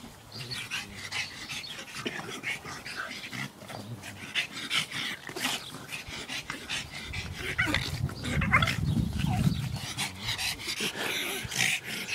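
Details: Playful pugs snuffling and snorting in quick, uneven bursts, with a low growly rumble building around the middle of the clip.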